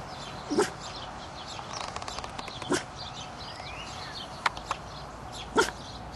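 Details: Pet dog giving soft, low woofs rather than barks, three short muffled bursts about two to three seconds apart, with a quiet outdoor background and faint high bird-like chirps.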